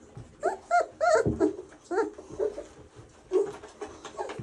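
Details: Doberman puppy during play, a string of high, wavering whimpers and squeaky yelps, loudest around the first second, then quieter whines and a final squeal, with faint handling noises.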